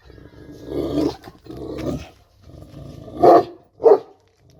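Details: A Kangal dog growls in a deep, throaty way through two long rumbles, then lets out two short, forceful barks about half a second apart.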